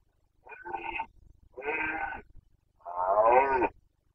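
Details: Carpathian red deer stag in the 2021 rut in Bucovina, three coarse, bleating-edged roars in quick succession, the last one longest and loudest.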